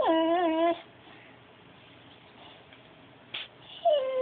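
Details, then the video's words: Pet dog "talking" indoors: a steady, slightly wavering whine lasting under a second, then a quiet pause with a faint click, and a second falling whine starting near the end. "Talking dog."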